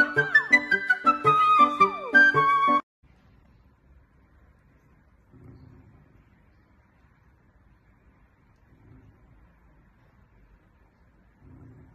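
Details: A bright flute melody plays for about three seconds, then fades into near silence with faint low rumbles.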